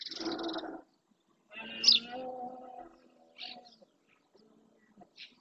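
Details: Red deer stag roaring during the rut in the Doñana National Park marshes, Spain, males calling to claim territory: a harmonic, drawn-out bellow of about a second and a half, with high bird chirps before and after.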